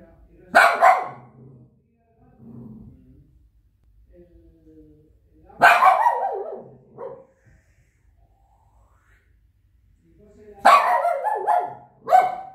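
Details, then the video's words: Shih Tzu dog barking: three separate sharp barks spaced about five seconds apart, the last a doubled bark, with faint low murmuring in the quiet gaps between them. "The barking Shih Tzu dog."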